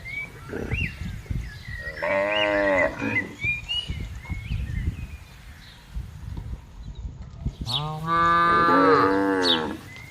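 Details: Cattle being herded into a farm pen, two long harmonic moos, the second louder and drawn out, with short bird chirps and rustling farmyard noise between them.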